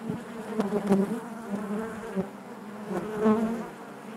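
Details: Honey bee colony humming in the hive, a thick low buzz with bright harmonic layers above, pulsing in short swells as bees crowd past, loudest near one second and again near 3.3 seconds.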